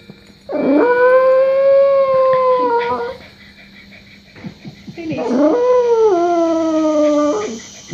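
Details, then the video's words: Small pet dog howling at a chiming clock indoors: two long sustained tonal howls, each starting with a rising yelp, holding steady, then sliding slightly down, separated by a short pause with faint background sounds. "Howling At The Clock"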